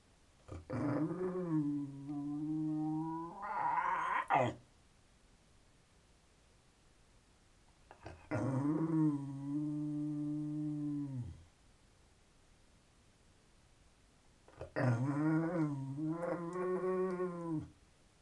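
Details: Indoors, Conker the terrier talks for attention in three sustained moaning growls, each two to four seconds long, steady in pitch with whiny rising inflections at the ends, spaced by short pauses.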